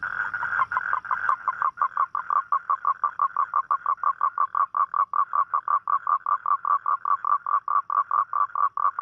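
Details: Toad calling at night to attract a mate: a long steady train of short, buzzy, mid-pitched pulses, about four to five per second, opening with a brief smoother tone before the pulsing settles.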